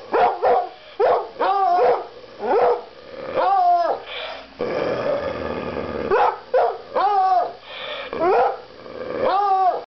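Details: Coonhounds, likened to sock puppets, bark repeatedly in short arched bursts, roughly one to two per second, with a brief pause midway before the barking resumes, over a low background hum.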